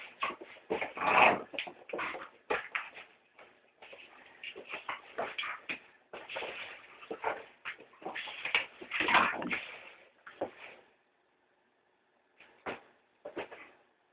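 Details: Pet female Staffordshire terrier indoors, attacking a house brush while the housework goes on: harsh, grainy growls and snarls in clustered bursts, fading out near the end with a few isolated short snaps.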